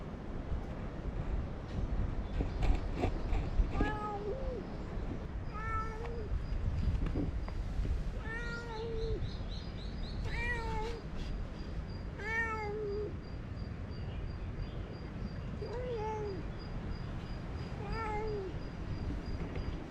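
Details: Chatty stray cat outdoors giving a long series of clear, bending meows, about nine in all, spaced roughly every two seconds. A faint steady high tone and low background rumble run underneath.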